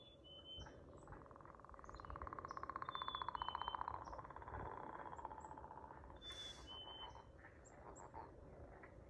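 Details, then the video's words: Frog song as a long rapid pulsed trill rising in volume and then tapering away over several seconds, with high bird chirps and whistles around it and a short burst of hiss near the end. "Singing frogs"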